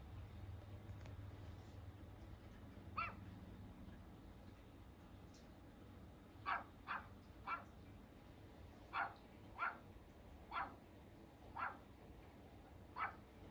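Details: Pomeranian named Hendo, a two-year-old dog on his birthday, giving a run of short, sharp yapping barks, about nine in quick succession, after a quiet start with low background hum.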